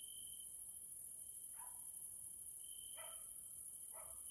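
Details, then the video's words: Grasshoppers (Caelifera) in a Hungarian nature area, Central Europe, in the evening: a steady, very high hissing chorus over a thinner, pulsing whistle-like trill, broken by three brief, lower, falling notes from another source. "grasshoppers sounds in nature area Hungary Central Europe"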